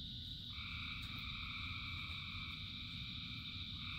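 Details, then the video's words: Frogs singing together during rain, a continuous layered trilling drone in several steady pitches that shifts slightly partway through, over the even hiss and low patter of falling rain. "Frogs in Rain 2 Hours of Frogs, Thousands of Frogs Singing"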